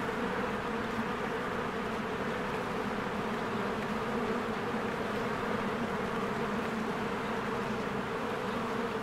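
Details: Many honeybees fly in and out of their hive in spring, among blooming flowers, recorded on a Canon EOS R. A dense, steady droning hum that never breaks, with a low rumble beneath and a stronger buzzing tone in the middle register.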